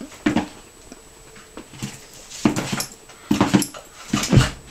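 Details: Holly, a Miniature Pinscher bouncing for her dinner in a small room, makes about six short, throaty whimpering yips in loose pairs, with soft thumps and a quiet background hum.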